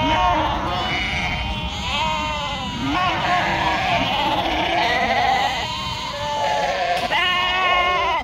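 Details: Sheep on a farm in northern Spain giving long, trembling bleats that rise and fall almost without pause, mixed with human talk and a low background drone.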